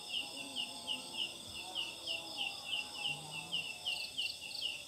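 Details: Night calling of a big leaf-like katydid, the Sundanese ciang ciang, which sings in jackfruit trees: a regular train of bright, clipped chirps, roughly three per second, sounding much like a chick or small bird.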